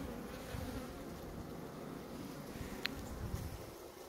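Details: Honey bee colony at a hive in Maine-et-Loire, France: an even, low-pitched droning hum throughout, with one sharp click near the end.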